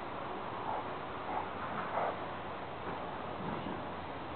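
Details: Brother and sister Rottweilers, Dazzy and Rox, play fighting over a rope, giving guttural vocalizations: a continuous rough, rasping growl running throughout, swelling slightly in brief surges around every second or so.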